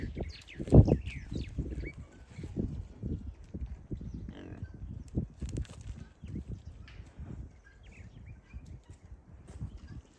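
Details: Relaxing wild boar piglets at a farm: one louder grunt early on, then quieter low grunts and snuffles spaced irregularly, with faint high chirps, likely birds, behind.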